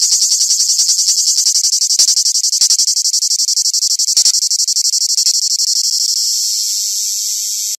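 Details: Cicada singing live; a loud, harsh, high-pitched rasping buzz pulsed in rapid regular beats, about four per second, merging into a steadier drone toward the end before stopping abruptly.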